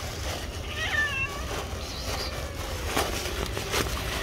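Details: Angry, jealous white female cat gives a brief, wavering meow with stacked harmonics, rising then falling, partly buried under steady low rumble and scattered clicks.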